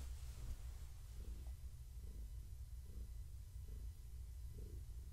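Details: Gaia, a pregnant long-haired tabby cat, purring while being petted and scratched in the evening; a steady low rumble with soft pulses roughly every second.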